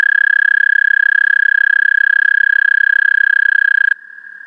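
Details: Loud American toad trill, taken with a parabolic microphone, holds an even, fast-pulsed musical tone for about four seconds, then cuts off, leaving a fainter trill from another toad at a similar pitch.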